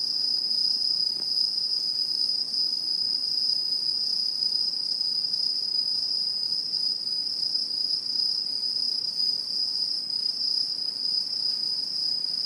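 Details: Chorus of autumn insects recorded in rural satoyama countryside, 2016. A continuous shrill ringing tone holds at one pitch, layered with a thin higher whine, and runs evenly and without pause from start to end.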